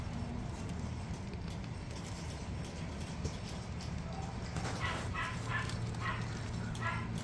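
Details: Miniature Pinscher puppies stay quiet at first beneath a low mechanical hum, then a run of brief, high yips comes in the last few seconds.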